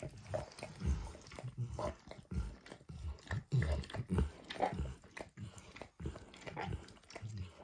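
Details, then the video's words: Dog named Max lapping eggs and diluted peanut oil from a bumpy orange mat; irregular wet slurps and tongue clicks, roughly one and a half per second, heavy in low tones, quiet background. "Max Licks | ASMR Dog Licking | Max & The Orange Mat"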